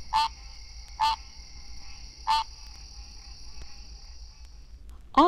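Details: In Florida, a male green treefrog gives its mating call: nasal, honking 'quonk' notes, spaced about a second apart.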